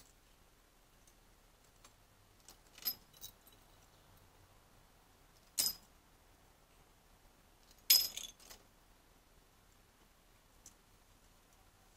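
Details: A few brief metallic jingles and clinks, like a small bell being knocked, with no animal calls. The sounds come in scattered bursts separated by quiet.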